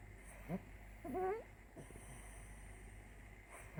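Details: Black Ragdoll cat snoring while asleep in a box: soft breathy puffs, then a wavering wheezy whistle rising and falling mid-breath, and another short puff at the end, over a steady low indoor hum.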